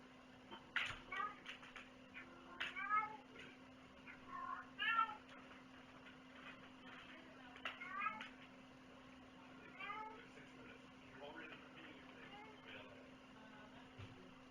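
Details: Domestic cat meowing indoors, several short harmonic meows scattered over about fifteen seconds, some with wavering pitch, over a steady low electrical hum with occasional human speech and handling noises.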